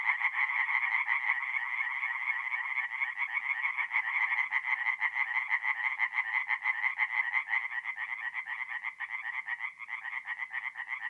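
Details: Tree frogs singing by night at a forest pond in north-east Italy in mid-April: a dense chorus of rapid, raspy pulsed croaks, many voices overlapping into a continuous throbbing rattle with no other sounds.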